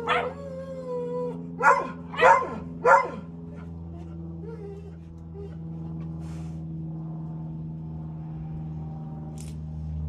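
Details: Deutsch Drahthaar puppy, named Gustl, in its third week of bench training: a drawn-out high whine, then three sharp yipping barks in quick succession about half a second apart, followed by quiet with a steady low hum.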